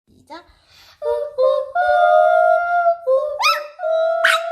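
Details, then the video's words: A puppy 'singing' a lullaby: long, smooth, sustained howled tones that slide gently between notes, with short breaks and a few sharper rising yelps near the end. "자장자장~ 자장가부르는 강아지"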